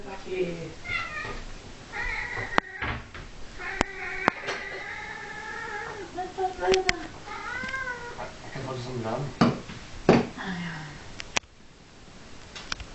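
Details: Angry 15-year-old domestic cat named Blacky, indoors in Norway, giving long drawn-out wavering yowls, several sustained cries one after another, with Norwegian speech talking over and between them.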